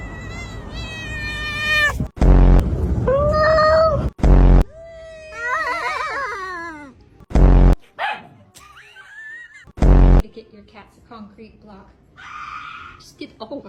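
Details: Pet cats in a run of short scenes: long strained meows, wavering yowls and a rising-falling wail, cut apart by loud abrupt bursts, with faint music and talk in the background.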